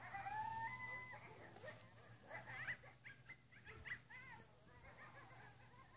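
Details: Coyotes at midnight in west Travis County: a wavering howl opens, then a chorus of high, quavering yips and short rising-falling howls tumbling over one another, with a low steady hum underneath.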